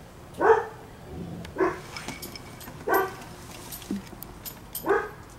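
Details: Seven-week-old Standard Poodle puppies lounging with their family: four short, bright yips spaced about a second or more apart, with a person's soft talking nearby.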